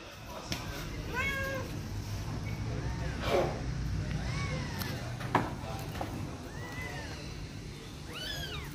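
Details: Persian cats, many kept together as pets and being played with and fed, give several arched rising-then-falling meows spaced one to two seconds apart, while a person talks and calls to them throughout.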